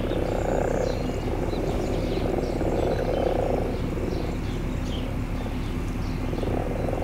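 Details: Spring frogs returned to garden ponds: soft, low, purring croaks rise in a dense chorus, then ease off, with a constant low background rumble throughout.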